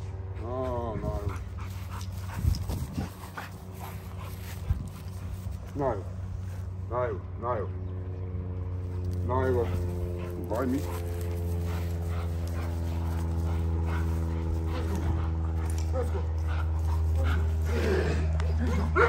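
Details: XL American Bully during daily exercise, voicing short, strained yelps and whining cries in scattered bursts, several stacked and wavering, over a constant low mechanical hum, with human voices talking throughout.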